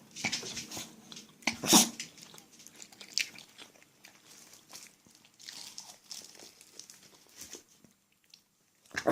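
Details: Spitz dog sneezing on command: one sharp, loud, burst-like sneeze stands out early on, surrounded by softer snuffling, sniffing and small clicking noises.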